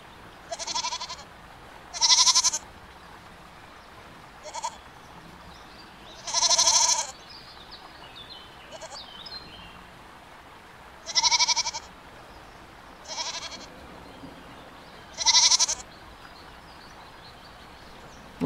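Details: ['Goats bleating, seven separate quavering, nasal bleats spaced irregularly every two to four seconds, each about half a second long, with quiet background between calls.']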